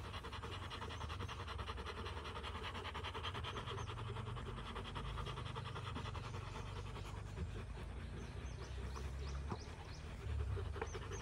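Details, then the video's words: Rottweiler family after fighting, day 59: fast, even panting continues throughout, with a few faint high whimper-like squeaks and a low background drone. "Rottweiler Family after fighting"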